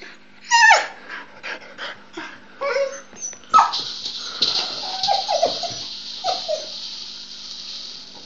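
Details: Pet dog named Luna playing with her rattle ball, making a string of short high whines and yips with brief squeaky cries, mixed with scrabbling and rattling noises from the toy.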